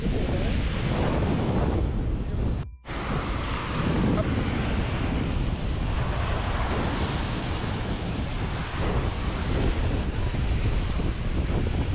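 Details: Crashing surf and heavy wind buffeting the microphone at a beach, with faint voices and a brief dropout near three seconds.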